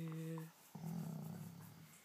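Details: Indoors in the morning, Slider the dog stretches awake with a Chewbacca-like moan: a steady low hum, a short pause, then a longer wavering groan that fades out slowly.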